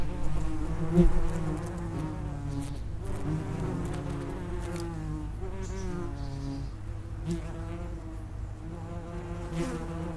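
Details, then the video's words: Common wasps (Vespula vulgaris) at the entrance of an underground nest: overlapping low droning buzzes of several insects, with wavering harmonic bands and pitch shifts as individuals fly in and out, steady throughout. "Vespula vulgaris (common wasp) nest entrance"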